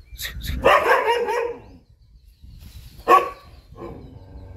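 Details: Chippiparai dog confronting monkeys, giving a long harsh bark near the start followed by a single sharp bark about three seconds in and a softer yelp, with quiet gaps between.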